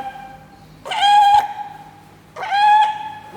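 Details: A fur seal-type sea lion gives two drawn-out, shrill calls a second and a half apart, each with a rough, bleating start and steady, reedy nasal tone; faint constant hum underneath.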